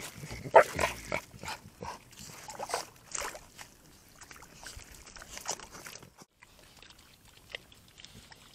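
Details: Wild javelinas jostling for space at a small critter pond on a hot night in Tucson, Arizona, mothers with young among them, caught on a trail camera: harsh bursts, grunts and snorts in a noisy squabble, loudest early, fading after six seconds.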